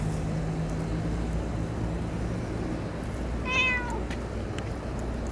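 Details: A cat at Dockyard Garden early on 11 May 2017 gives a single short, falling meow against a heavy, steady rumble of city noise.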